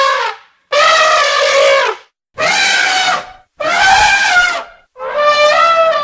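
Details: An elephant trumpets loudly in four brassy, strident blasts, each about a second long, the first sliding downward at its end, repeated with short pauses between.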